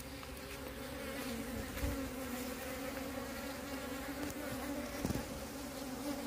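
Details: Wild bees of a split colony being moved make a dense, steady buzzing hum, fairly loud and unbroken, with occasional soft thumps of handling.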